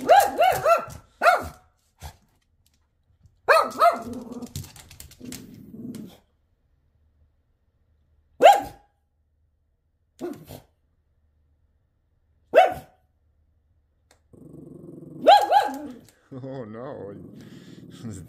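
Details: Shih Tzu reacting to another dog beyond the window: bursts of rapid barks, scattered single barks, and low rumbling growls between them, indoors with long quiet gaps.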